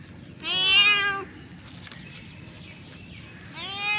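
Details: Male domestic cat in heat calling to attract a female: one loud harmonic yowl lasting under a second, then quiet, then the start of another rising yowl at the end.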